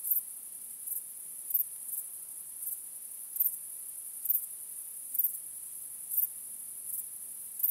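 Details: Night-time cricket chorus beneath a starry sky, a continuous thin high-pitched ringing punctuated by sharper chirps about every second, nothing else audible.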